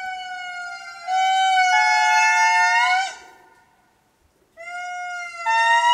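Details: A male indri calling in Mitsinjo park, Madagascar: long, siren-like wailing notes, rich and sustained, with brief pauses between phrases, and family members calling offscreen.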